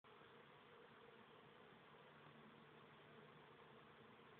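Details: Steady, dense humming of many honey bees at a bee tree on an island in a Michigan lake, a continuous broadband drone with no pauses.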